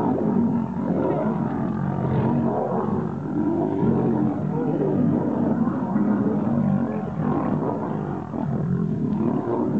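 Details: Wild lions locked in a fight to become king: long, unbroken growling and snarling, rough and deep, with layered throaty tones rising and falling in intensity for about ten seconds.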